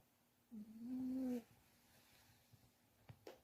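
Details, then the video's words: Dodam, a dog dozing comfortably after being warmed, lets out one soft nasal whistle that rises slightly and lasts about a second. A few faint clicks follow in an otherwise quiet room. "코골이하는 강아지"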